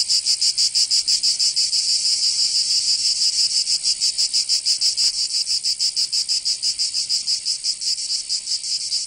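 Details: Cicada song in a Provence summer, south of France: a piercing buzzy trill pulsing evenly around three times per second, slightly softer toward the end, no other sounds.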